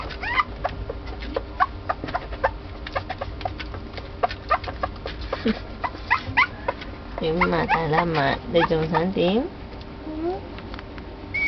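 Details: A corgi puppy, filmed while drinking milk on its second round of feeding, gives rapid high squeaks, then a longer wavering whine that rises and falls.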